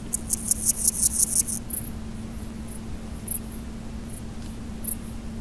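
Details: Male large gold grasshopper stridulating: a rapid burst of about eight very high, dry, scratchy pulses in the first one and a half seconds, then a few scattered faint ticks over a steady low hum.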